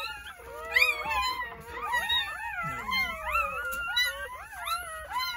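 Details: Jindo puppies just born on New Year's Day in a countryside house, nine in the litter, give loud overlapping squealing cries; thin, sliding whines rise and dip repeatedly in a dense chorus, with a soft low sound midway.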